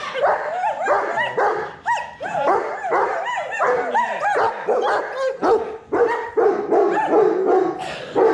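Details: A group of Alaskan bush dogs sings after a mushing run. Rising and falling howls overlap with short yipping bursts, and one steadier howl holds near the end.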